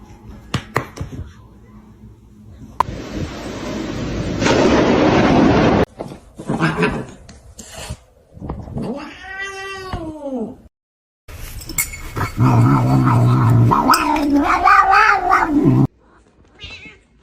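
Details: Cat indoors, heard with a long, drawn-out, wavering meow in the middle, followed by a louder, rough, drawn-out yowl. Earlier there is a burst of hissing noise, with people's voices and clatter nearby.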